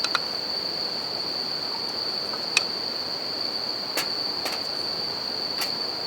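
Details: A steady high chirring of bell crickets fills the night air by a river and a campfire, punctuated by several crisp crackles of burning wood, with the soft wash of flowing water beneath.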